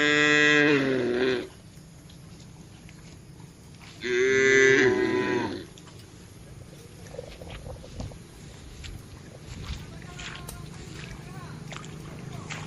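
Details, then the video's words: Tame cattle in a herd grazing on a wide green pasture, calling back and forth: two loud harmonic moos near the start and at four seconds, each lasting about a second and a half, then quieter grazing field ambience. "suara sapu lembu moo"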